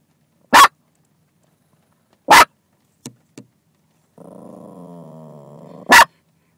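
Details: Barking female dog aimed at another dog riding in a different car: three loud abrupt barks a second or two apart, two faint clicks, and a drawn-out low whine before the last bark.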